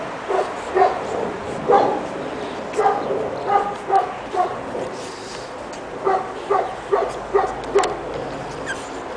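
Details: Pekingese puppies, two and a half months old, on their first time outside in the snow in Tallinn, Estonia; short high yaps come in quick irregular bursts, roughly two per second, with soft background rustle.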